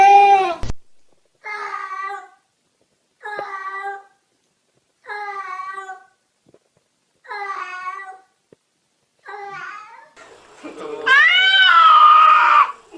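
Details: Domestic cat making weird, talking-like noises: six short harmonic meows, each about a second long, spaced roughly every two seconds. The last one is louder, longer and wavering, rising then falling. No other sounds are heard.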